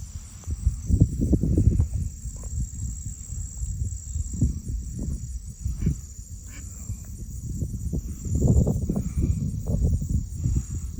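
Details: Marsh crickets recorded by cell phone while egrets stand in the background: a thin, rapid high trill of evenly spaced pulses continues throughout, partly covered by bursts of low rustling and handling noise.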